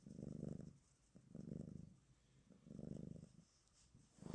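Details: Black cat purring on its owner's lap, the first time it has climbed up there; deep buzzing rumble in long swells roughly every 1.3 seconds, quiet between breaths.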